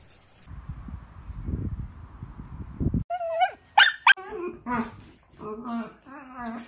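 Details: Playful dachshund, a sausage dog, giving short high yips and whimpers with wavering, rising tones, quickly after a stretch of muffled rustling and low background noise; voices mix in.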